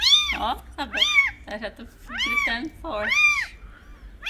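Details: Playing kittens giving loud, rapid meows, each an arched cry that rises then falls, run together in quick overlapping bursts with brief gaps, about seven calls in four seconds.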